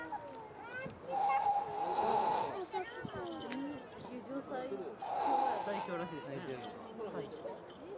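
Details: Awake-looking hippo, eyes open, producing a snoring noise from its nose: two rasping, airy blasts roughly four seconds apart, each carrying a thin whistle, with people chatting in Japanese throughout.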